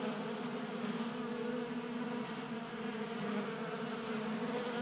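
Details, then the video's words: Several honey bees feasting at a tabletop bee feeder in a garage in Colorado during unseasonably warm January weather; a continuous dense buzzing hum of many wings, even in loudness throughout. "Honey Bees Feasting from 3D Printed Bee Feeder"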